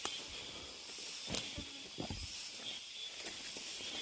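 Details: Constant shrill whirring of cicadas fills a deep mountain forest, with a few soft footfalls and rustles underneath.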